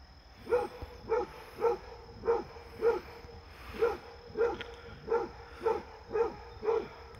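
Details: Basset Hound Fred barking at a deer that visits to play: a regular series of eleven resonant baying barks, about two per second, with little else heard.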